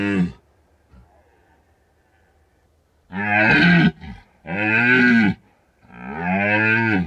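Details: Rutting red deer stag at night in Bucovina's mountains, recorded on a drop rig left out for a week; after a quiet stretch, three long, deep, moaning roars follow one another, each about a second.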